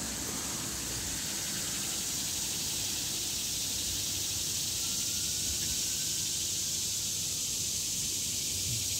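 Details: In summer in an urban neighbourhood, many ordinary annual cicadas (not the 17-year brood) sing together in a continuous, high, shimmering, hissing drone so loud and unbroken that the area sounds like a jungle, while the road is quiet.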